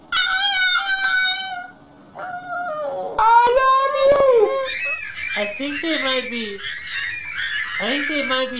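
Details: Puppies squeaking and whining indoors, apparently trying to play; high, wavering harmonic whines and yelps, some rising then falling, overlapping one another in quick succession, with a person's voice nearby.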